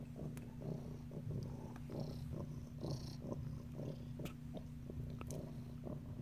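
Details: Domestic cat named Sunny purring steadily while checking out a new cat house indoors; a continuous low rumbling throb with soft rhythmic pulses and occasional faint clicks and rustles.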